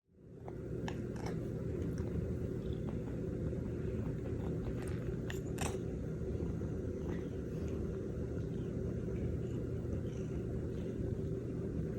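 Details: A steady low rumble fills the recording, with scattered faint clicks and crunching sounds like chewing or handling noise. No animal call can be picked out.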